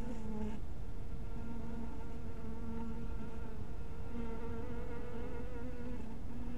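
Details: Close, nearly continuous droning of honey bees at a bee cottage in fading evening light, a low wavering hum with clear overtones that shifts slightly in pitch, over a low background rumble.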